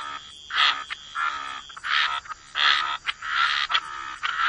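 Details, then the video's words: Frogs croaking by the waterside, bursts of raspy, nasal croaks clustered around the mid-range, coming in uneven pulses roughly every half second with short quiet gaps between groups. "Frog Lullaby: Relax to the Sound of Croaking Frogs"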